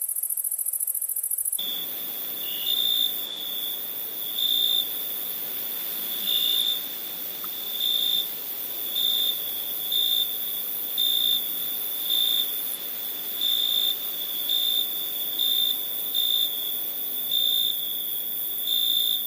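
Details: Night crickets sing a sustained shrill tone, swelling in short regular pulses about every 0.7 seconds. A very high continuous hiss lies above, and a brief louder opening burst precedes the steady chirping.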